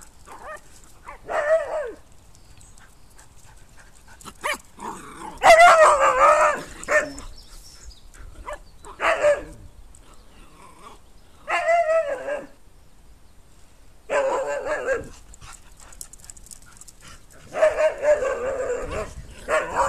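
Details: Barking dogs as a 12-week-old female Jack Russell puppy meets two much bigger Siberian Huskies from a distance, fearless: sharp yipping barks in bursts every few seconds, the loudest volley near six seconds, with quiet pauses between.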